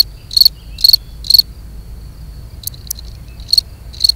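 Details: European field cricket (Gryllus campestris) mating song: shrill, high chirps repeated about every half second, three in a row, a short break with a couple of clicks, then two more chirps over a quiet background.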